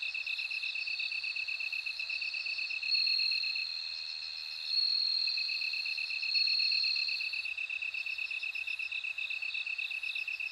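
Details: Bell cricket chorus: high, ringing sustained trills near the top of the range swell and fade, over a steady, fast-pulsed chirping of another insect, with short bead-like pulse bursts above; no other sounds.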